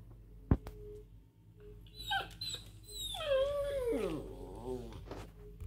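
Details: Pomeranian playing with a squirrel gives a drawn-out whining cry that slides downward and wavers for about two seconds, after a sharp knock and short rustling.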